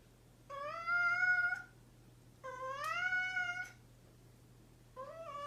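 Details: A playful pet cat gives long, clear meows, two sustained calls of about a second each that rise slightly then hold, followed by the start of a third, with a soft steady hum behind.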